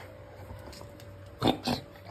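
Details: A Golden Retriever that often enjoys cabbage crunches it as a snack, giving two loud, crisp chomps close together after a few soft clicks.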